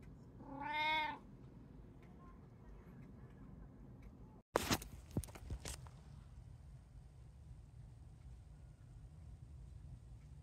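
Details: House cat from a home with three cats, tabby, Munchkin and Abyssinian, on 11 September 2024 around feeding time: one clear wavering meow early on, followed by sharp clattering knocks and steady low background hum.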